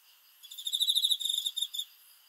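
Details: Night cricket song: one trill of quick, evenly spaced high pulses lasting about a second and a half, rising in loudness and then fading, with near silence around it.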